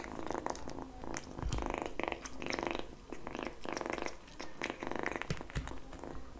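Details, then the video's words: Young pet cat lapping and chewing egg yolk, with bursts of wet smacking and licking separated by short pauses over a faint low rumble in a quiet room. "Kitten eating Yolk ASMR"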